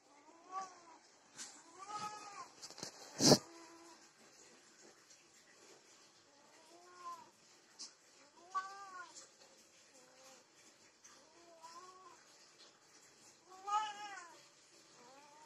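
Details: Desi and Persian domestic cats mating. Arched, moaning yowls are repeated every couple of seconds with short pauses between them. A sharp knock sounds early on, and a louder, higher yowl comes near the end.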